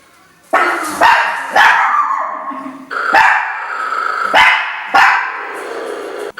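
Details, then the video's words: Three playing Chihuahuas named Jacques, Isabelle and Rachelle, facing a snoring bear, give sharp high yappy barks, six loud bursts roughly half a second to a second apart, some overlapping into a continuous excited yapping. "Chihuahua vs snoring bear"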